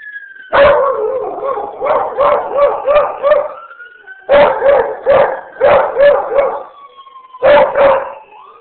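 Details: Pet beagle/shepherd cross joins in with ambulance sirens, giving rhythmic bouts of bawling howls, each made of quick, wavering yelps about three per second, with a thinner siren wail continuing faintly between bouts.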